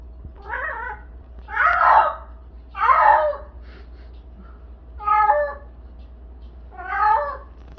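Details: House cat named Jinam crying out as it does every day while running on a cat wheel: five drawn-out, wavering yowls with layered tones, roughly one every one to two seconds, over a steady low hum.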